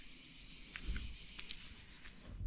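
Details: Cicadas sing in trees in Provence in the first days of summer, on a very hot day. The steady, high, shimmering buzz runs unbroken, and the cicadas fall silent when approached.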